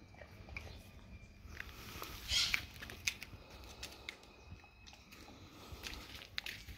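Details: Dog chewing raw cow tongue: scattered sharp clicks and moist smacking bites at an uneven pace, one brief louder squelch early on, against low, steady room noise.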